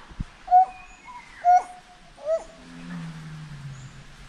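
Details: Three clear upswept whoops from a forest monkey, about one second apart, then a low drawn-out tone trailing off.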